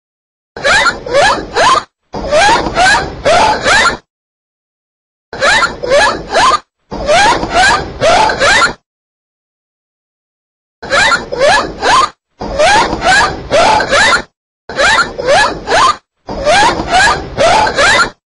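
A dolphin gives rapid buzzing pulse trains mixed with short rising squeaky whistles, in bursts.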